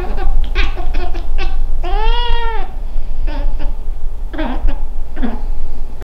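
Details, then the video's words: Female Scottish Fold cat talking to a fly indoors: quick chirps and trills, then one long arched meow, followed by a few shorter chirping meows over a low background hum. "Our Cat Talks To A Fly"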